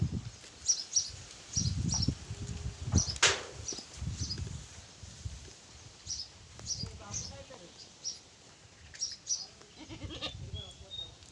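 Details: Pateri goats, two does with four kids, kept for goat farming; short wavering bleats surface mid-clip and near the end, mixed with people talking and repeated low thumping knocks.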